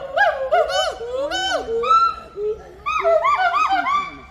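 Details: Hoolock gibbons at Assam State Zoo give loud, ringing whoops that swoop up and down in quick, overlapping bursts.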